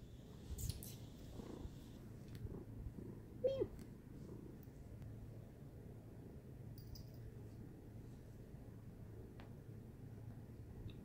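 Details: Domestic cat purring in a quiet indoor setting: a soft, continuous low rumble running the whole time, with scattered faint clicks and rustles and one brief squeaky note near the middle.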